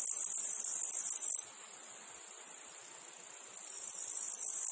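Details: Cicadas calling in a meadow field alongside other insects and flies: a steady, very high shrill buzz that drops sharply in loudness after about a second and a half, stays softer, then swells back near the end.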